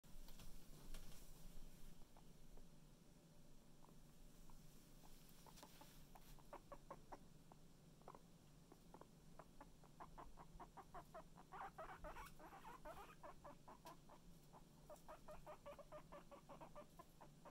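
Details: Pet guinea pig beside a stuffed toy guinea pig, giving quick repeated clucking chirps in uneven bursts, several per second and denser toward the end, over a steady low indoor hum.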